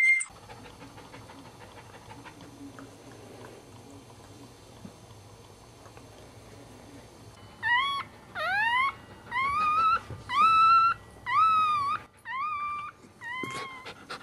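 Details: A newborn Cairn Terrier puppy, the second delivered in a litter, gives a run of high, thin squeals, each rising then bending over.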